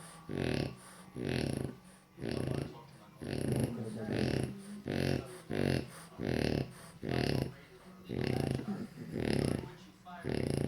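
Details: Loud snoring from a napping French Bulldog, a steady series of buzzy, vibrating snorts about a second apart, each a harsh low drone with a rattling edge.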